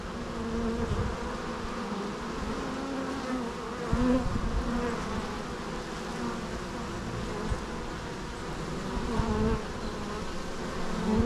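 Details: Steady dense buzzing of many bees, a low even drone with faint shifting hum tones and small louder flickers as insects pass close.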